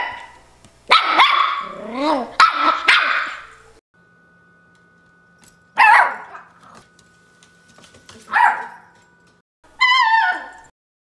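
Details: A female Miniature Schnauzer puppy, between 6 weeks and 6 months old, complains in a run of yips, whiny barks and rising, wavering grumbles.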